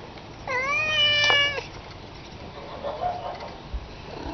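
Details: Domestic cat giving one loud drawn-out meow, harmonic and slightly wavering, about a second long, followed by fainter softer meows over a hissy background.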